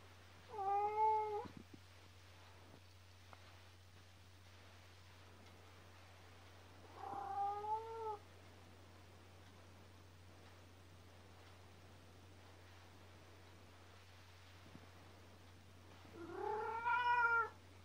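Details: Youngest pet cat of the household, named Kkomaengi, filmed indoors in the pre-dawn dark, giving three separate wavering meows spaced five to nine seconds apart, with faint hum and small room noises between cries.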